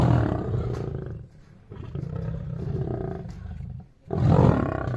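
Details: Lions fighting in Shiraz, Iran, possibly at a zoo, roar and snarl in deep rumbling bursts with a brief lull between outbursts.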